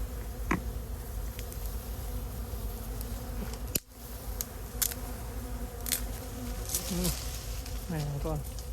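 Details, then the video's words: Bees buzzing around a wild hive found while searching mangrove and Khmer forest; an even, humming drone with stacked tones runs nonstop, with a sharp crack near four seconds and brief human voice sounds toward the end. "I saw many bees searching."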